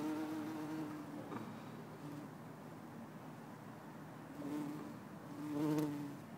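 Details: Bumblebee in Lisbon, December 4, 2011, either Bombus hortorum or Bombus terrestris: short low hums at the start, then two more quick buzzing passes near the end, separated by a quiet stretch of faint rustle.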